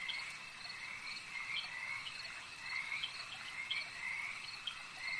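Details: Short, bright croaking trills from frogs at a lake overlap in a thick chorus, with brief clicky notes scattered among them over an even, high background hum.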